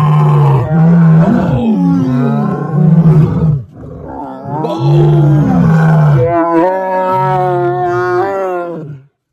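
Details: Six lions roar together, deep rumbling calls overlapping and swelling in long, moaning bursts.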